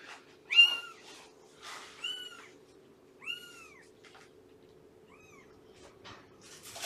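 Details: Morning meows in a foster home from rescued cat Shelby's household, brought there via Everett Animal Shelter and Purrfect Pals, on 2017-09-19: a series of short, high, arched meows, each rising then falling, spaced about a second apart, with faint rustling between.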